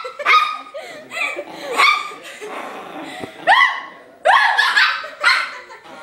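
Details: A furious, playful Chihuahua puppy barking at a person indoors: sharp, high yapping barks in short bursts, about six over several seconds, some with a rising whine at the start.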